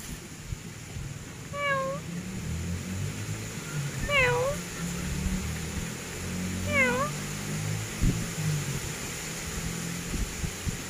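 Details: Grey pet cat meowing three times, about every two and a half seconds, each call a short rising-then-falling tonal mew with clear harmonics, over a steady low hum and faint background noise.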